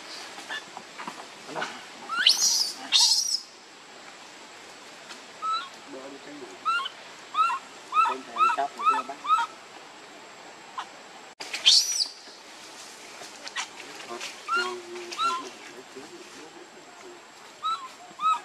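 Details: Baby monkey Leo cries for its mother's milk. Piercing screams open the passage, then a rapid run of short, arched, whimpering coos follows. A second shrill scream cuts in near the middle before more scattered coos.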